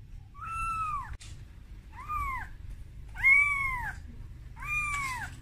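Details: Kitten Momo calling for its mother Amora, scared at being taken out of its room for the first time; four clear arching meows, each rising then falling, separated by short pauses in a quiet indoor setting.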